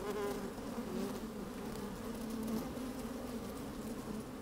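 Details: Steady droning hum of honey bees busy inside an open hive on a sunny day, recorded with the microphone lowered into the hive; a layered buzz with a few louder swells near the start and middle.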